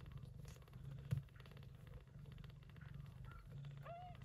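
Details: Gray short-haired Persian Chinchilla mother cat Yupi tending her kittens, born during an early-September typhoon; steady low rumbling purr pulses throughout, a brief thump near one second, and a faint short high meow at the end.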